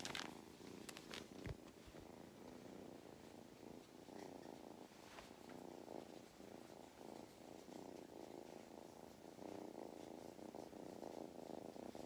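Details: Purring from a male cat being given belly rubs on an Irish farm in County Kilkenny: an even, grainy, vibrating hum that swells and eases in breath-length cycles, with a few sharp taps and rustling near the start.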